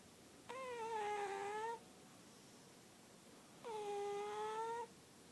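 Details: Lily Bean, a sleeping cat, snoring: two drawn-out, whistly nasal tones with a steady pitch, each lasting just over a second and about three seconds apart, in a quiet indoor room.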